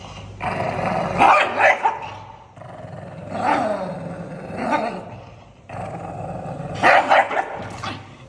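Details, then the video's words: An angry pug growls with a low, steady rumble, broken by harsh, noisy barks at roughly two-second intervals, the loudest pair near the end. "Puge dog angry sounds"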